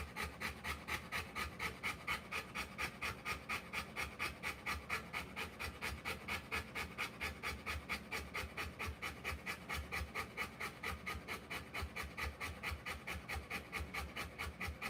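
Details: Panting of a Rottweiler during the birth of her puppies, fast and very regular breaths, a little over two per second, each a hissing rasp, sustained without a break over a low background hum.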